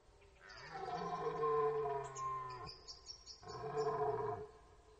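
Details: Red deer in rut at the Orzysz training ground, archival recording: a deep, steady harmonic roar of about two seconds, a brief pause, then a second shorter roar that drops away at its end.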